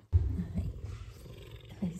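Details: F2 Savannah cat purring as it is petted and scratched for an itch; after a sudden onset, a loud, low, throaty rumble continues steadily, with a faint rustle of handling near the end.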